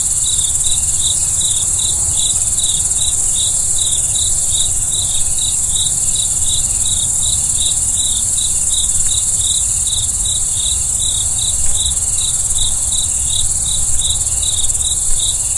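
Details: Crickets calling at night in a fast, regular train of high, clipped chirps, about three per second for the whole stretch, set against a steady hiss and quiet low-frequency background.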